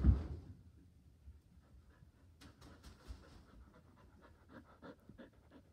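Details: Border Collie at home, eager to play ball, panting on the couch; a brief loud thump opens, then quiet rapid breathy panting with faint clicks and rustles.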